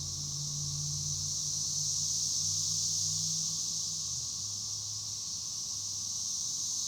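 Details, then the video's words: Chicharras (cigarras) give a constant shrill buzzing drone, unwavering in pitch; beneath it a low hum from a motor or engine shifts downward about four seconds in. "El sonido de las chicharras"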